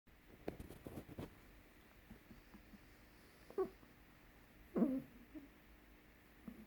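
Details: An 8-week-old blue Staffordshire Bull Terrier puppy gives soft, brief grunting whimpers in a quiet room.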